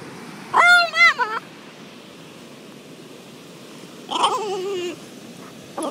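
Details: An 11-month-old female French Bulldog expresses dismay at her rock with two bursts of whining, talk-like yowls, the first wavering up and down, the second sliding lower, oddly like "Oooh MAMA!", over a quiet background.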